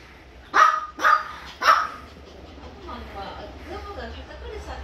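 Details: Maltipoo at an animal hospital: three sharp, bright barks about half a second apart, followed by quieter murmuring voices and faint background hum.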